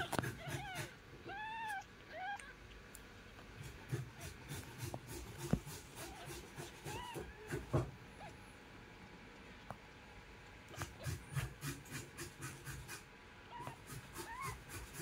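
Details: Domestic cat, a mother with her kitten: high, arched meows come in a quick run of about four during the first three seconds, then softer, scattered meows, with sharp clicking and tapping throughout.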